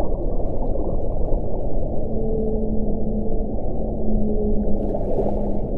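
A whale gives long, level moaning tones over a deep, constant underwater rumble.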